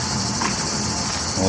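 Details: Many cicadas, possibly a species resembling Japan's aburazemi, sing together in a steady, dense, hissing buzz in Retiro Park, Madrid, on a hot sunny midsummer day, 30 July 2023, with other cicada types also heard.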